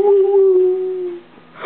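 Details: Saturn, a pet dog, gives a single steady, moaning woo held for just over a second at a level pitch, then falls quiet before a brief rustle; indoors in a small room.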